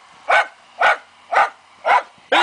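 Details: Hunting fox terrier working a wild boar: five loud, clipped barks repeated about every half second in a steady rhythm.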